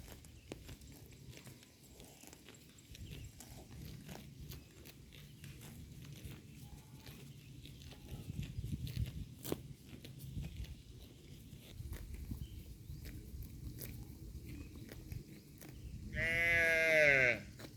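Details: Grazing cattle herd munching grass: steady crunchy chewing and tearing clicks, growing denser midway, then a loud drawn-out harmonic call near the end.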